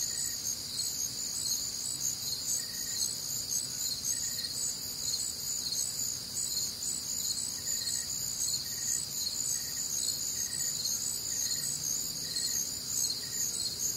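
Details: Crickets and other night insects on a warm, humid Midwestern summer night, a steady shrill pulsing chorus high overhead, joined by a fainter, lower chirp repeated in short evenly spaced bursts throughout.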